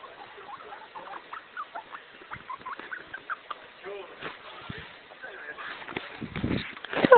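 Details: Pet guinea pig, a male, making contented sounds when happy: a rapid run of short, soft squeaky chirps repeated several times a second, followed by rustling, handling noise and a person speaking.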